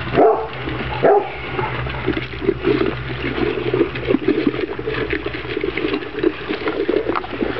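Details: Young Kuvasz pups at their first meal of dry food give two brief tonal whines in the opening seconds, then busy crunching, lapping and scattered clicks from the feeding litter.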